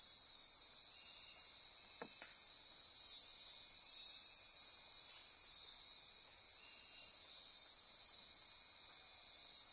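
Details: Nighttime insect chorus in Costa Rican rainforest near Corcovado National Park on the Osa Peninsula: dense, steady high-pitched buzzing and trilling bands, with a brief faint click-like sound near two seconds.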